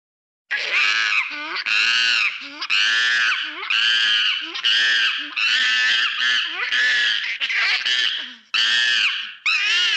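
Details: Macaques playing in a zoo give loud, harsh, shrill screams in rapid bursts, roughly one each second.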